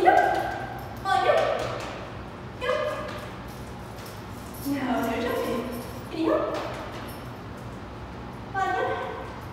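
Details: Molly, an 8-month-old Treeing Walker Coonhound during a two-week board and train, gives about six loud, ringing barks at uneven intervals over ten seconds. Each is a short, tonal burst with rich harmonics, and the gaps between them are quiet.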